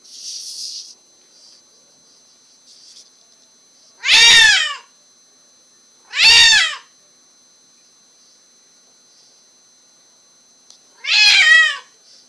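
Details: Zoey, a pet cat born deaf, meowing very loudly indoors: three long, harmonic-rich meows, each near half a second, spaced several seconds apart with quiet between, plus faint shuffling noise at the start.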